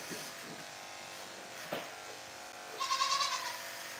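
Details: Goat bleating on a farm during udder shaving before milking: a steady mechanical hum runs throughout, a soft thump, then one wavering bleat lasting under a second near the end.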